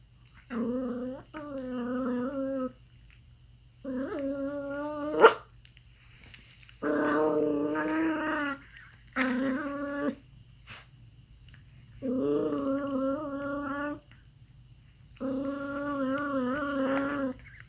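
An aardvark gives a series of nasal, wavering whines, each lasting a second or two, with short pauses between.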